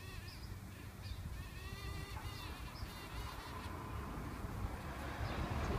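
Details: Eastern carpenter bee in Cambridge, Massachusetts, May 7, 2015, where a few males were flying around and a female had her head out of a nest hole. A buzzy, wavering droning hum with shifting overtones swells louder toward the end, over a low outdoor rumble and faint high chirps.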